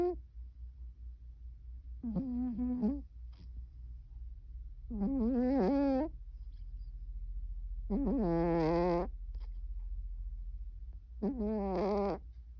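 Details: Cornish Rex cat snoring steadily, four rough, tonal breath sounds about one second long, spaced roughly every three seconds, some rising at the end, with a quiet background.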